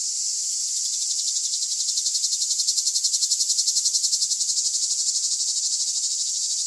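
A cicada gives a loud, high, continuous buzz with a fast rhythmic throb.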